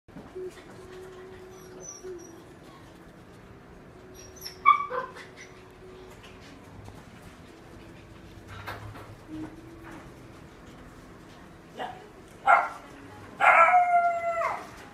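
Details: Female mixed-breed dog, black-and-tan and white, born May 2019, at a pet shop: mostly quiet room hum with scattered soft sounds, then short high whimpers and a strained, harmonic-rich whining burst near the end.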